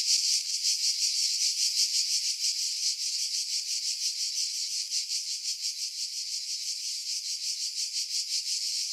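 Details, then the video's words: July 2018 cicada chorus from pines above the sea at Pefkos Bay on Skiros Island, Greece: shrill, continuous buzzing with fast regular pulses throughout, sound filtered to remove wind. "Cicada Sounds"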